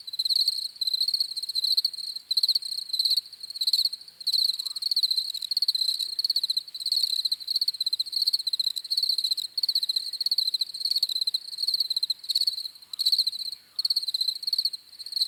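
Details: Crickets chirping continuously, a bright high trill broken into quick pulse bursts with irregular short gaps, multiple callers blending, clean quiet background.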